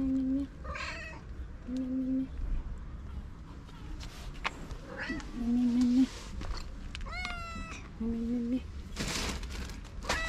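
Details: Street-living stray cats at feeding time meow in short flat tones several times, with one higher, sliding kitten-like cry midway, among human voices, clatter and a steady low hum.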